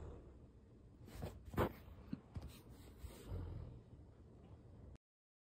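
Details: An 11-month-old Bernese mountain dog sleeps, breathing in soft, slow, hushed, airy puffs with a couple of louder snuffling exhales against a quiet background; recorded 23 December 2023.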